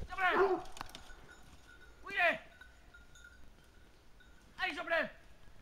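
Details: Hunting hounds bay while holding a wild boar at bay: three loud, wavering, harmonic howl-barks at roughly two-second intervals over a quiet rural background.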